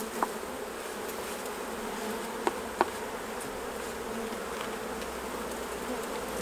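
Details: Honey bees around the hives while honey is taken off, a continuous even hum of many bees buzzing together, with a few sharp clicks scattered through.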